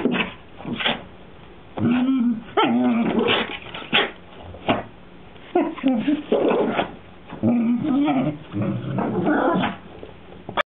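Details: Whippet Maisey almost begging her sister Poppy to play, giving rough growls mixed with whiny, tonal grumbles in separate bursts of one to two seconds, with short pauses between.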